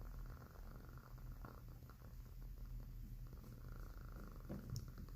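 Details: Pet cat falling asleep: a soft, continuous low-pitched purr throbbing evenly throughout, with light crackling from a candle nearby and a brief sharper click toward the close.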